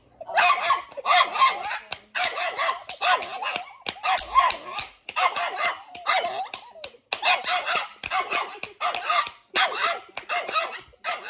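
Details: Small dog sitting on a girl's lap, barking as someone claps hands with her: rapid bursts of high, yappy barks in quick runs across the whole stretch, with sharp claps between them.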